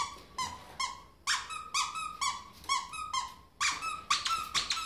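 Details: A ferret jumping around a room the way a dog would, letting out regular ringing squeaks about twice a second, growing louder and denser toward the end.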